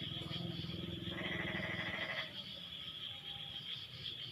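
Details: Frog chorus after the rain eases: a dense low, rapidly pulsed croaking and a raspy bleating call for about two seconds, then quieter, under a constant high-pitched hum.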